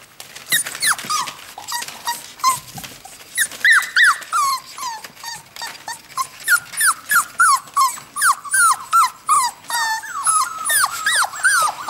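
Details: Four-week-old whippet puppies, hungry as they watch their mother eat beside the birth den indoors, whine in a rapid series of high, bending squeals, many falling in pitch, about three per second, with soft crinkling and clicks behind.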